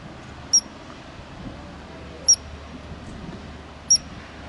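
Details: Ground squirrel chirping in Glacier National Park: three sharp, very high, short chirps spaced about one and a half seconds apart over a steady low background hiss.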